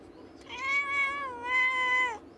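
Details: A pet cat indoors at a window, watching birds and talking to them as it does every day: one drawn-out, steady, nasal meow of about one and a half seconds, dipping slightly in the middle and falling at the end.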